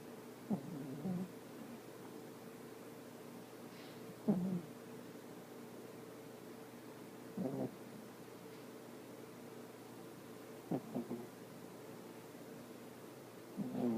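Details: Young female dog asleep, snoring softly: faint low rasping breaths recur roughly every three to four seconds over a steady faint indoor hum, quiet pauses between each snore.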